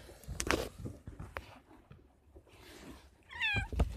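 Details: Kitten hiding inside a sack while being filmed indoors gives one short, wavering meow near the end, preceded by rustling, handling knocks and room noise.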